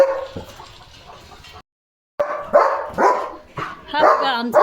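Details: German Shepherd at home barking loudly as a bullock cart passes outside the gate: a short burst, a brief silence, then harsh barks about twice a second, with a man talking in Marathi in the background.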